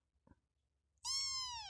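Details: Kitten giving a single drawn-out, high meow that starts after a second of near-silence and slides gently downward in pitch, bright with overtones, indoors.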